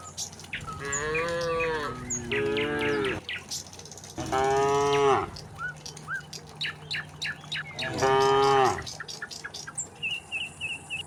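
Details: Several tame cattle hurrying downhill to the pen on a village farm give a run of four low, wavering moos, some back to back, while birds keep up sharp chirps in the background.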